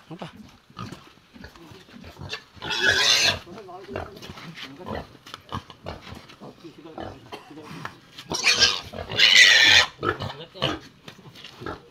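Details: Raised native pig giving two loud, harsh, broadband squeals, one short burst near the third second and a longer one near the ninth, with people talking throughout and scattered handling noises.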